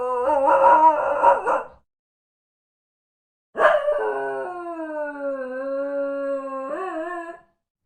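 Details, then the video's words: Dog giving two drawn-out tonal cries: a short wavering one lasting under two seconds, then after a pause a long steady howl of about four seconds that dips slightly and lifts again at the end. "Куче. Кучешки лай /Sounds. Dog. Sounds of animals. Dog's bark"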